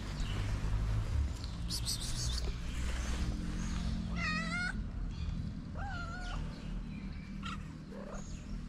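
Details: Homeless calico street cat in Morocco asking for love and food: two clear harmonic meows around four and six seconds, the first rising then falling, the second flat and drawn out, a few fainter mews after, over steady low wind rumble.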